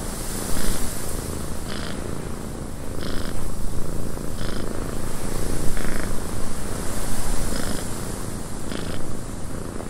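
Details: Purring cat in a wind-buffeted cabin: a low, throbbing rumble that swells and fades in slow waves, set against an even rushing wind.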